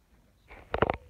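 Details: A tabby community street cat gives a quick, clipped meow that breaks into three rapid, mid-pitched pulses, like "nyah-ha", over a quiet room; the call angers a nearby brown-and-white tabby cat.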